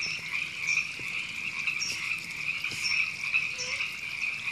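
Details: Chorusing river frogs, Temescal Canyon Park, Los Angeles, California, April 2017: many overlapping croaks merge into a steady trilling drone, with short high chirps appearing about once a second.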